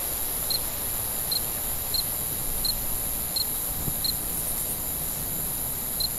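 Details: Cricket at night, recorded as calming ambient sound: short, clear, high chirps repeated steadily about every 0.7 seconds, roughly nine in all, over a constant shrill hiss and a faint low rumble.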